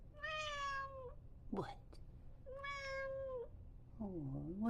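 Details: An 8-year-old, 17 lb female silver tabby Maine Coon repeats long, level meows with a slight fall, then a shorter wavering call, asking to go outside onto a lakeside deck, with a person talking between calls.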